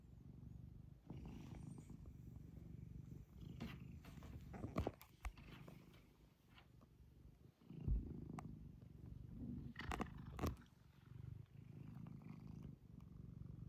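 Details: House cat giving a low steady purr, rhythmic throaty vibration rising and falling with breathing, interrupted now and then by soft rustles and clicks nearby.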